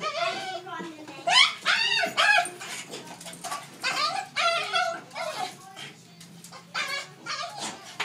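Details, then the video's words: A dog makes unusual noises its owner had never heard from it before: bursts of high, arching whine-like yelps in quick clusters, rising and falling, with people talking over and between them. "Dog makes weird noises"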